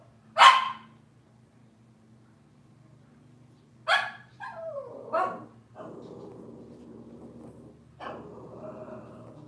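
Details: Cavalier King Charles Spaniel puppies from Robin's litter on a morning kitchen-cam livestream: a sharp bark, then another about 3.5 seconds later, followed by a falling whiny yelp and softer low murmuring.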